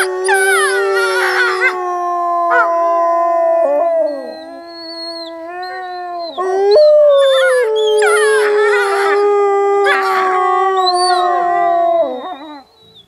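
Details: Group howling from wolves at Wolf Howl Animal Preserve during snowy-day play; long sustained tones overlap, one voice dropping and another rising, mixed with wavering higher yelps, fading out near the end.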